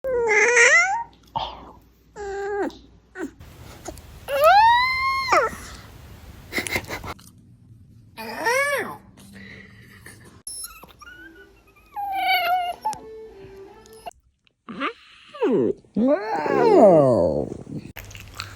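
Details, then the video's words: Dog yawning, giving a string of squeaky, whining vocal yawns that sweep up and then down in pitch, several drawn out, with brief quiet gaps between them. "Cutest dog yawning"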